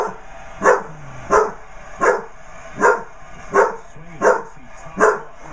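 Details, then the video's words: A Basset Hound puppy barks at a basset hound birthday card, giving a steady string of short, hoarse barks, roughly one every second. "Basset hound puppy barks at birthday card."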